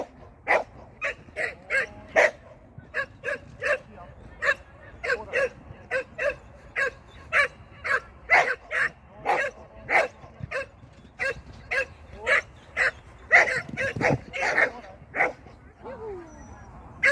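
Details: Shetland Sheepdog in a training session on 16 May 2023, a long run of sharp, high, evenly spaced barks roughly two per second, a brief whine near the end.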